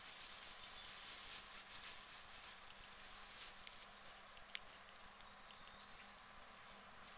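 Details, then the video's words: Guinea pigs eating lettuce: soft, crisp crunching and nibbling clicks come in quick irregular bursts over a steady faint hiss, with a louder snap near the end. "Guinea Pigs Eating Lettuce"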